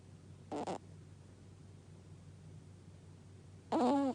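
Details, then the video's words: Sleeping dog named Gaku makes a short, soft snort, then after a pause a louder, wavering nasal snore near the end, over low room hum. "ガクのイビキ💤 Snoring of the dog"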